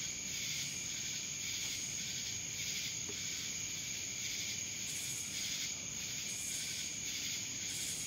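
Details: Cicada chorus recorded in Dallas, Georgia, a continuous shrill buzz over a steady high-pitched whine, pulsing in loudness roughly once a second throughout, with no other clear sounds.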